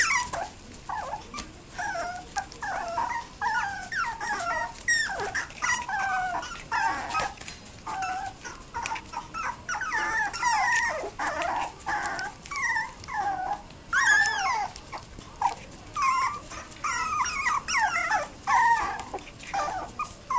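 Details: Toy poodle puppy, sixty days old, giving a steady run of high, wavering whimpers and yelps that rise and fall in quick, overlapping bursts with almost no pause across the whole stretch.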